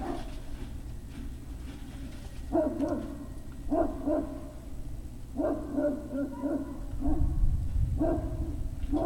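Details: Great Dane puppies, 03-05-2019, late afternoon: short harmonic yips and small barks come in irregular bursts about every one to two seconds, set against a constant low hum and some rumbling toward the end.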